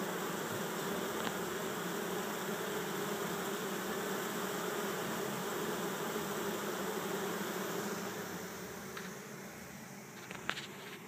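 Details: A bee swarm of 6000-8000 on the ground in Chico, California, 2013, streams into a hive while bees fan their wings. A strong, continuous low buzz softens after eight seconds, followed by a few clicks at the end.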